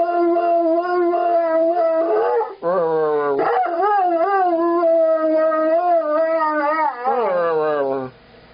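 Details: Airedale Terrier singing: drawn-out howls broken by sliding, falling yips and whimpers, with short pauses between phrases and a final downward-gliding note.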